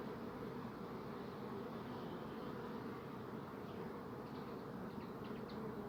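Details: Many bees buzzing together as a steady, dense, low hum with no breaks, its drone unchanging throughout. A few faint high chirps, possibly from a bird, show up near the end.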